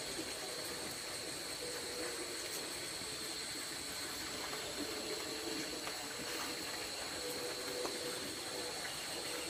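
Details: Night-time rice field insects heard from a hut while camping: an unbroken, shrill, high buzzing chorus on steady pitches over a soft hiss. A few faint ticks are heard.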